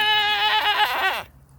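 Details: A goat, kept alongside a newborn baby goat, gives one loud, nasal, harmonic bleat lasting just over a second, steady at first, then wavering and breaking toward the end before cutting off into quiet.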